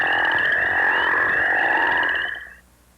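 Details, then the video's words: A group of northern crayfish frogs in Missouri, which breed in early spring in farm ponds and flooded ditches, gives deep, snoring calls that overlap into a droning chorus. "let's listen to the deep, snoring sound made by a group of crayfish frogs. (crayfish frog call)"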